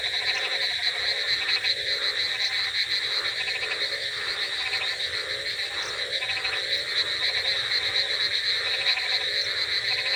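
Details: Frogs croaking on a rainy night: a dense, steady chorus of overlapping pulsed, rattling croaks, with a constant high trilling layer and bursts of lower croaks repeating about every second throughout.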